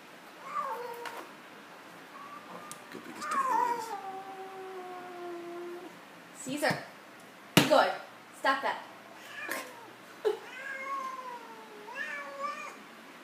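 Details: Domestic cat not playing nice with a new friend, giving long drawn-out wavering yowls and growling moans that slide downward, interrupted by sharp thumps and a woman scolding it to stop.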